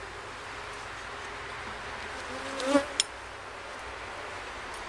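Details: Honey bees at a hive during a first inspection, with comb found, give a steady low droning hum throughout, broken by a brief knock and a sharp click near the middle.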